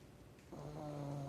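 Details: Snoring of a 16-year-old Borzoi; after half a second of quiet breathing noise, a low, steady, droning snore with a humming tone that holds to the end.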